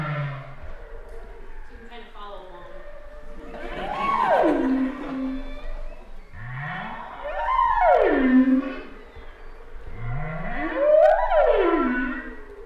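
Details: Single humpback whale singing a winter song phrase recorded in the outer fall region of the Gulf of Maine, November 2009 and February 2010: three loud, long moans sweeping steeply downward, each starting with a low upsweep, roughly every three and a half seconds.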